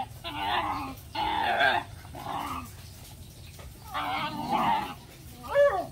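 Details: Puppies at play with a dog, giving bursts of rough, broadband yaps in clusters about a second long, separated by short pauses, with a brief rising yelp at the end.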